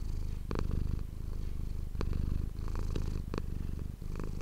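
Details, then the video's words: Low, buzzing purr from the domestic cat Manis, recorded up close with an ASMR microphone; the rumble rises and falls with breathing, broken by a few sharp clicks. "ASMR cat purring ❤ Manis die aan het spinnen is"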